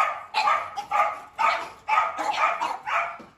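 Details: Steady run of harsh barks at a large Dobermann kennel, about two each second and slightly uneven in timing, with a faint high background tone.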